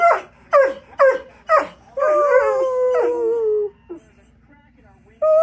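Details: Loki the pet dog singing: four sharp, downward-sliding yelps, then a sustained, smooth howl that gently falls and fades, followed by a brief silence and a new note starting.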